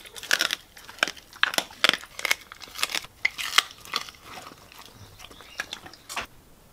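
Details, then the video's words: Raw chicken and bone chewed by a Siberian Husky inside a small room: bright crackling crunches in quick clusters, loudest early, then thinning out into a few isolated snaps. "Husky Causes HUGE Crunching Sound Noises!"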